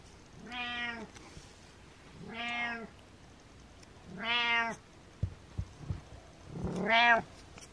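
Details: Butters, a pet cat, meowing as a living alarm clock to wake his owner: four drawn-out, harmonic meows about every two seconds, each rising slightly then falling, with a few soft clicks between the third and fourth.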